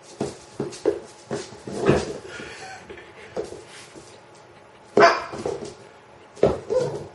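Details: Freya, a pet dog playing with a rubber chicken toy, gives short, sharp barks and yips in irregular bursts, with two louder bursts close together near the end and quiet pauses between.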